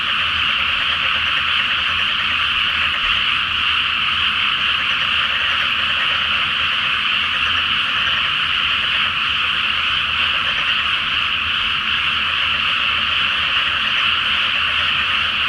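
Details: Many frogs in a dense nighttime chorus in a flooded rice field before planting, under a full flower moon in Japan; continuous overlapping croaking blurs into a steady roar with no gaps.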